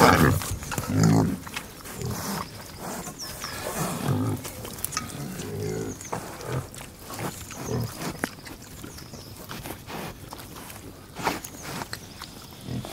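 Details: Pig giving a long, uneven run of low grunts and snorts, about one a second, loud and close, with faint bird chirps behind.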